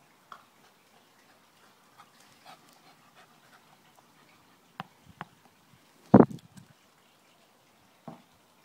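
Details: Welsh and wire fox terriers Lucie, Max and Tilly playing indoors: one loud, rough bark-like burst mid-clip, with a few softer short yips and scattered light taps around it in otherwise quiet surroundings.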